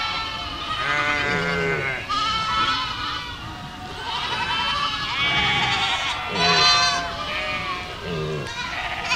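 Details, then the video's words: Village goat flock on the move, many loud harmonic bleats from several animals following one another almost continuously, some short and clipped, others drawn out and wavering. "Efeito sonoro de rebanho de cabras caminhando por uma aldeia"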